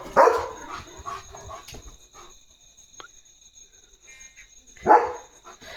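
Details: A German Shepherd on night guard duty in pitch darkness, barking at unseen things and passing vehicles while running around, gives two deep, loud barks several seconds apart.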